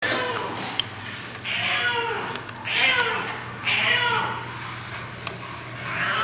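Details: Rescued male domestic cat, seven years old, making an unusual trilling, chirping noise only heard when playing with one particular toy; repeated warbling calls about every second, with a steady low hum and a person speaking.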